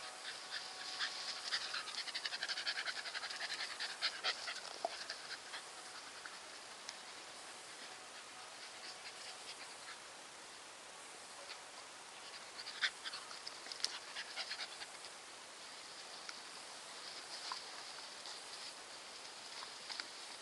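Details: Nikita, a Staffordshire Bull Terrier, panting softly in quick, uneven breaths of airy, hissing bursts, fuller in the first few seconds and again around thirteen to fourteen seconds, fading to a quiet rasp between.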